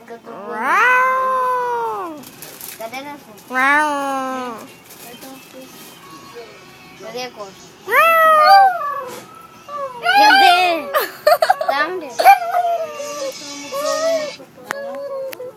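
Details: Dog singing on request aboard a train, producing a series of arching, wavering yowls and rising-falling wails, interspersed with overlapping Bulgarian talk and train noise.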